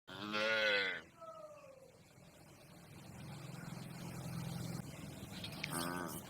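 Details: Domestic cattle, a calf and its family calling to one another: one loud, rich harmonic moo lasting under a second, then a long, low droning moo underneath quiet background noise, with a brief burst of noise near the end.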